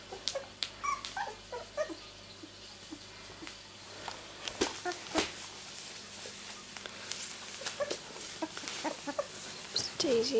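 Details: Two-week-old miniature Labradoodle puppies from Rosie's litter born 31 July 2009 give scattered thin squeaks and whimpers among rustling, bumping and handling noises, the calls irregular and partly masked.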